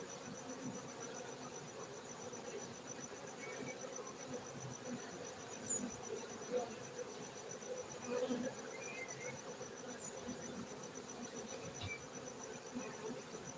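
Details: Steady hum of honey bees at a bee-keeping site in Gayo, Bener Meriah, Aceh, Indonesia: a continuous low drone with occasional nearer bees briefly louder, and a thin constant high-pitched tone in the background.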